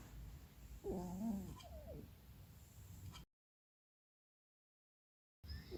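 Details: Sleeping female cat Keksi, thought to be dreaming, gives a short, quavering, muffled whine near the start, then quiet low background hum before a break.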